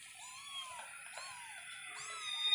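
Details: Kittens meowing indoors as pets: a few thin, high meows sliding down, each under a second long, with a steady high whine behind them.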